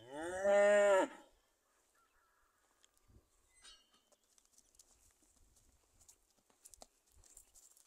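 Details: A Charolais calf gives a single loud, rich harmonic moo lasting about a second, steady then dropping slightly at the end, followed by near silence with faint scattered clicks and rustles.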